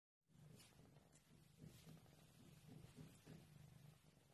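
A Maine Coon cat purrs in a deep, continuous rumble that throbs a few times each second. The sound stays low and even throughout, with faint room hiss behind it.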